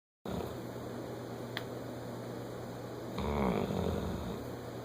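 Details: Bloodhound. A sleeping bloodhound snores with a deep, rattling drone low in pitch. Partway through, one breath grows louder and harsher before the steady background hum of a small room returns.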